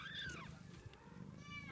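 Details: Munchkin kitten 14 days old, giving a thin, high mew that slides downward over about half a second, then a fainter short mew near the end, over a low rumbling background.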